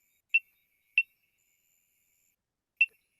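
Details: Common reed frog recorded in Kenya, giving short, sharp metallic clicks like someone tapping metal together, almost like a small ringing instrument.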